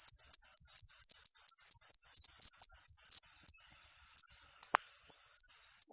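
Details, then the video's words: Cricket song used to teach songbirds: rapid, shrill chirps at about four per second for three and a half seconds, then a pause broken by a single sharp click and a few scattered chirps. "Suara masteran jangkrik untuk segala burung kicau"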